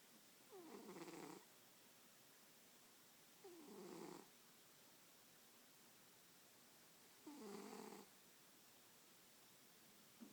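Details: Sleeping domestic cat curled on its owner's lap, snoring: three raspy, rumbling breaths, each about a second long, coming roughly every three seconds in a quiet room.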